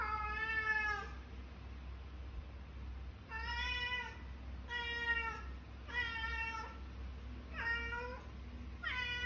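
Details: Cat in Kuala Lumpur, Malaysia, waking its sleeping owner like an alarm clock, giving six loud, drawn-out harmonic meows, each about a second long and spaced a second or two apart, over a steady low indoor hum.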